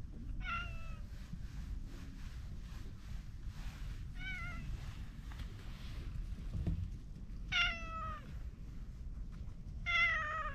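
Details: Orange tabby stray cat at the edge of a pond, happy to be stroked, gives four clear downward-sliding meows a few seconds apart over a steady low outdoor rumble.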